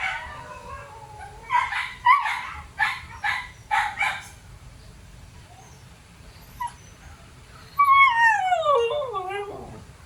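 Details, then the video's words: Siberian Husky pet dogs giving a wavering whine, then a run of short yips, a pause, and a long falling, sliding howl-like cry at the end. "Ingay ng branded na mga aso Husky"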